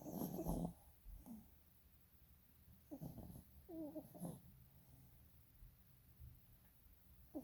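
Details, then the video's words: Sleeping dog, eyes rolling, snoring in uneven bursts: a loud rough snort at the start, then brief wavering, whistly tones around the three- and four-second marks, separated by quiet breathing. "Snoring dog with eyes rolling"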